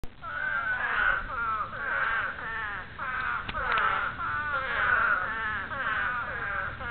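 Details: Spadefoot toad; breeding call; breeding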